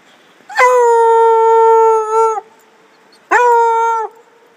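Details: Redbone Coonhound running in the woods, giving two long, steady, strongly harmonic howls, the first about two seconds long and the second about a second, each ending with a slight downward slide.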